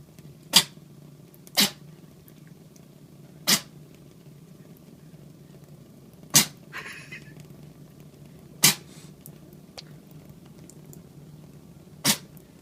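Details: Monta, a large male Norwegian Forest Cat kitten, sneezing repeatedly indoors after getting tap water in his nose; six sharp, broadband bursts come at irregular intervals of one to three seconds over a quiet room hum.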